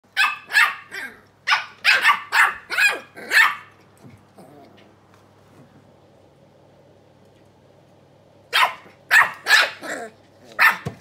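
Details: Two small Keeshond puppies talking to each other: bursts of sharp, high yappy barks, about seven in quick succession over the first four seconds, then a quiet gap, then another run of five barks near the end.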